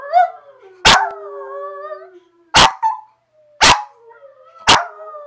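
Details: One dog howls along with another dog in long, wavering tones broken by sharp, loud barks about once a second.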